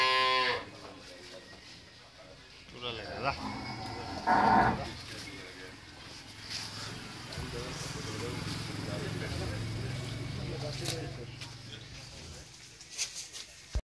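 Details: Friesian breed cow with her newborn heifer calf on a farm, second calving: a short moo opens, a brief louder harmonic lowing follows near four and a half seconds, with low rumbling, voices and farm noise between.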